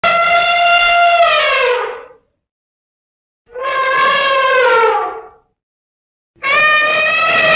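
An elephant trumpets in three loud, brassy blasts, each about two seconds long and sliding slightly downward.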